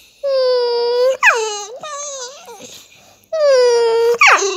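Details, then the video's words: Staffordshire Bull Terrier making funny noises: two long, steady, harmonic whining howls, each about a second, separated by short rising-and-falling yelps and wavering moans. "Staffordshire bullterier making funny noises"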